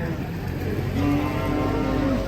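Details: Cow lowing: a sustained, even moo starting about midway that holds its pitch for over a second, then drops at the end, with music and background noise underneath.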